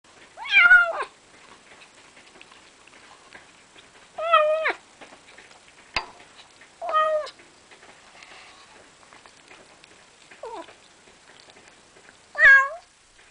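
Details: Pet cat eating food it was given, giving short mewing calls at irregular intervals, five calls over about thirteen seconds, each a brief rising-falling meow, with quiet clicking in between.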